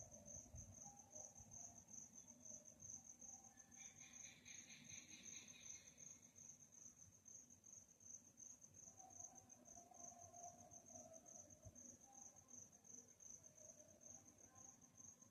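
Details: Crickets chirping at night in a calm setting: a steady, high, rapidly pulsing trill runs throughout, joined midway by a brief lower burst of buzzy pulses, over a soft low background rumble.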